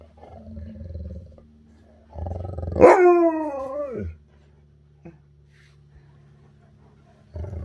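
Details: Siberian Husky eager to get outside and play gives a single drawn-out howl, rising then sliding down over about a second and a half, set between stretches of low rumbling noise and quiet.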